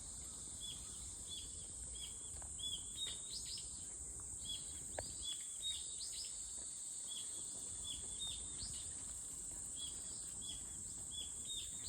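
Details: Cicada singing a steady, unbroken high-pitched whine throughout, with many short chirps from birds scattered over it in the background.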